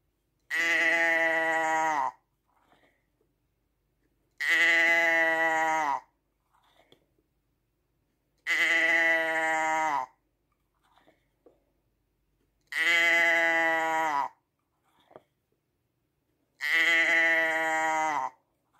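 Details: Five long, even sheep bleats, strongly harmonic and nasal, arrive at a regular pace of roughly one every four seconds, with near silence and small rustling noises in between.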